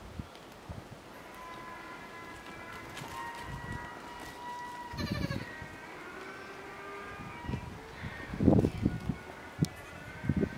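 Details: Miniature goat kids play with an affectionate buck, letting out a long, steady, high-pitched bleat lasting several seconds, then lower wavering bleats, with rustling and thumps of movement near the end.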